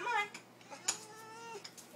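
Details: Pet cats calling for their supper indoors: a short falling meow opens, followed by a long level tonal call and scattered clicks and clatter, with a person talking softly to them.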